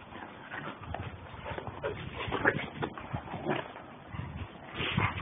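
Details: Two German Shepherds, Captain and Samantha, playing hard together: rough, irregular bursts of growling and whimpering vocalisations rise and fall throughout, with scuffling noise between them.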